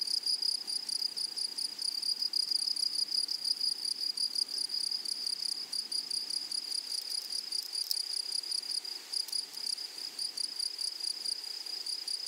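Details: A chorus of grasshoppers in a flowery meadow, thin high buzzing pulsed at a fast even rate, a faint second band higher up, with occasional brief louder clicks.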